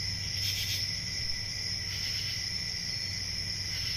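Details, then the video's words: A short stretch of summer-night cricket sound: unbroken high ringing trill with a couple of brief brighter swells and a soft low hum. "Relaxing Cricket Sounds For Sleep Ambient Summer Night"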